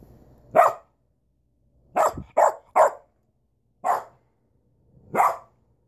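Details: Duchess the dog gives six abrupt, loud barks, one single, then a tight cluster of three, then two more spaced about a second apart against a near-silent background.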